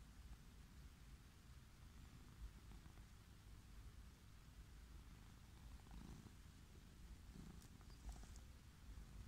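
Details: Wild orange tabby cat lying on a grassy lawn purrs with pleasure while being petted: a steady, low, rumbling purr runs throughout, with faint rustling and brief higher scratchy sounds near the end.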